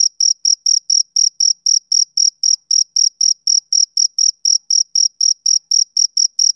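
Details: A male cricket on a summer evening chirps in a quick, regular series of bright, high trills, about four chirps each second, with nothing else audible.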